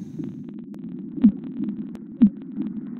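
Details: Fin whale in the open ocean makes loud pulses, said to sound remarkably like ship sonar: deep, loud thumps about once a second over a steady low rumble; fin whale.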